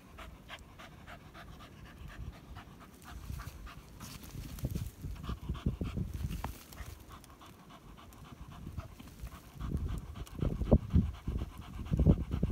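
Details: German Hunting Terrier working on a badger hunt, heavy rapid panting in low breathy pulses that swell louder around the middle and again toward the end.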